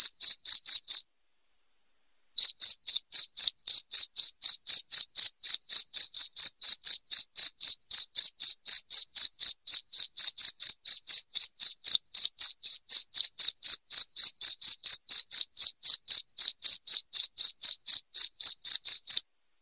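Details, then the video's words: Cricket giving loud, shrill chirps, used to scare rats from the home; a short burst, a pause of over a second, then a long steady train of about four chirps per second, with no other sound. "SUARA JANGKRIK NYARING PENGUSIR TIKUS"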